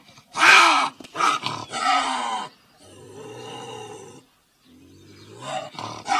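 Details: Eurasian lynx gives loud, harsh wailing screams that rise and fall, pausing between screams.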